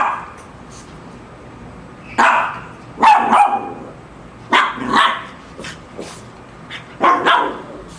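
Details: Lhasa Apso dog barking while facing off against a shark: sharp, hoarse barks in loose pairs at about 2, 3, 5 and 7 seconds, separated by quiet gaps with a low background hum.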